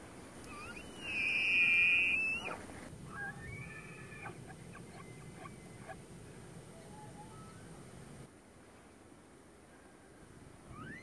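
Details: Tule elk in the rut at Point Reyes National Seashore, bugling one loud, high whistled note that climbs, holds steady for over a second, then breaks off. Fainter whistles and grunting pulses follow against quiet outdoor background.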